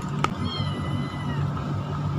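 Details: A hungry domestic kitten gives a soft, thin meow that tails off slightly as it asks for food while being fed tuna, over a low background rumble and a sharp click.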